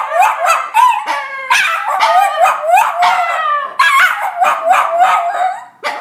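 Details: Homecoming greeting from two pet terriers, a Cairn and a Jack Russell: wavering, yelping howls in short surging phrases roughly every second, pitch bending sharply, mixed with a few bark-like accents.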